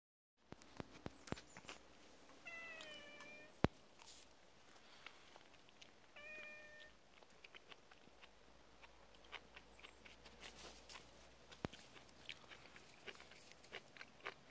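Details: Domestic cat bothered by a puppy, giving two short harmonic meows, one falling slightly and one level, several seconds apart, among scattered clicks and soft tapping noises.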